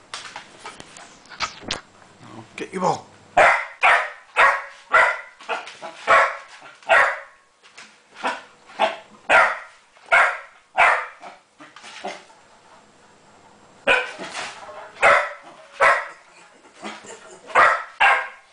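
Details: A Springer Spaniel, Jenny, barks repeatedly at a copper pot holding her ball; long runs of rhythmic barks roughly every half second, broken by a brief lull, with faint human speech early on.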